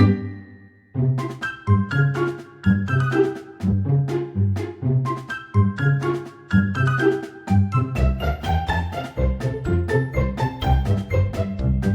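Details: Bouncy background music with plucked and chiming instrument notes, and no animal sound heard.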